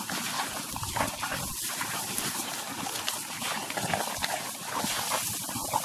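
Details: Wild dogs of Africa feeding together in Chobe National Park, Botswana, heard as steady, harsh, noisy scuffling and rasping with short low throaty bursts throughout, busy and unbroken, without any whistled or clearly pitched calls.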